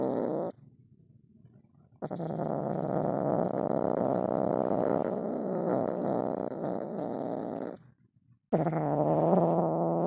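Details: Angry Siamese kitten shut in a cage and wanting out, growling: a low, rough, sustained growl of about six seconds, a short pause, then a second growl starting near the end.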